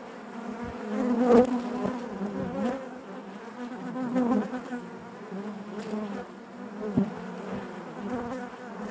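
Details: Honey bees buzzing inside their hive, a dense steady hum with harmonic bands layered above, swelling and fading in waves, with occasional brief clicks and taps from the colony.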